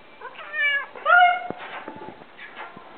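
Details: Half-Siamese mixed-breed cat meowing indoors: two loud, drawn-out cries, the second rising then bending down, followed by softer, shorter mews and small clicks.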